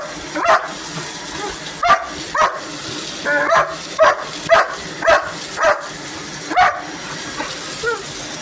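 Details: Hogan, a pet dog, barking at a running vacuum cleaner: clear short barks repeated about every half second to second, evenly spaced, over the machine's continuous high hum.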